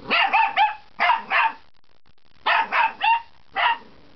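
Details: Young puppy's first barks, delivered as two quick bursts of high, yappy double and triple barks with a short pause between them. Clear and close, with a quiet background.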